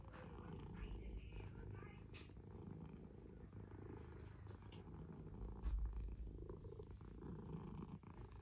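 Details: Pet cat purring: a deep, continuous vibrating rumble, very low and even, with soft rustling and a slight swell in loudness near the end.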